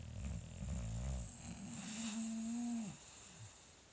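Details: English Bulldog in a snoring contest: a low rattling snore over the first second, then a drawn-out nasal whine that holds steady and drops away.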